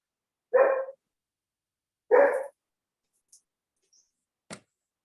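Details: German Shepherd dog barking in the background of an online parliamentary committee meeting, two short loud barks about one and a half seconds apart, then quiet with a faint click.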